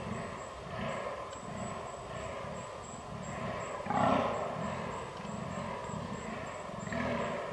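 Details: Fallow deer in rut on 22 October 2022, captured with a Canon R6: a continuous train of deep, guttural belching groans about twice a second, one louder harsh burst midway, and a thin steady high whine behind.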